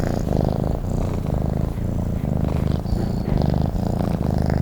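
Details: Domestic cat purring while sleeping, a steady low rumbling purr in rhythmic pulses, each breath cycle lasting under a second, with soft pauses between inhale and exhale phases.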